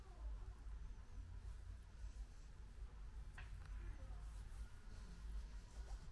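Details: Luna, a female British Shorthair cat in NY12 colour, newly home after a long journey, dozes off tired after eating; a low, steady rumbling purr pulses continuously beneath faint indoor room noise.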